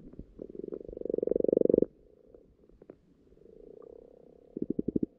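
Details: Spawning-time frogs croaking underwater in a pond: a swelling, rapidly pulsed purr building over nearly two seconds, a quiet gap, a softer distant churr, then a short burst of loud pulses.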